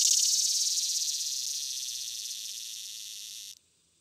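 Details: A male swamp (morning) cicada, Neotibicen tibicen, an annual cicada of Illinois and the Midwest that calls only before noon, gives a brief loud, high, rasping buzz that crescendos, gradually fades, then stops abruptly.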